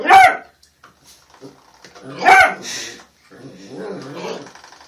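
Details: Puppies letting out two brief, rough, high barks about two seconds apart, mixed with scuffling and softer growly noise at the end.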